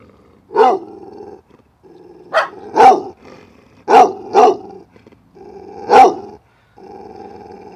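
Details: A low, steady growl runs beneath a dog's loud, sharp barks, which come singly or in quick pairs every second or two.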